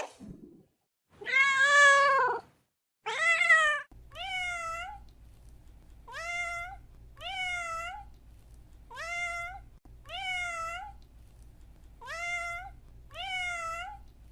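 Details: Domestic cat: two long, loud, wavering meows, followed by a regular series of shorter meows rising at the end, repeated roughly every second and a half over a low electrical hum.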